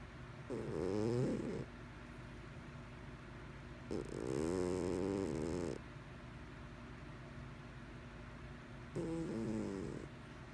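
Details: Mr Whiskers, a pet cat, snoring while asleep: three nasal, harmonic snores at roughly three-second spacing, each about a second long, with quiet room tone between breaths.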